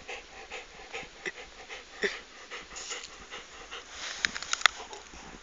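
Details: Pet dog holding onto its loot and refusing to give it up, breathing in quick rhythmic breathy pants, roughly two to three per second, with a few sharper clicking sounds near the end.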